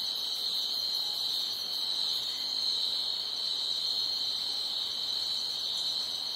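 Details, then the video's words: Crickets chirping loudly at night, a dense, unbroken high-pitched trill that holds steady throughout, with a fainter shimmering layer above it and no other clear sounds. "Night Ambience Crickets Chirping Loudly"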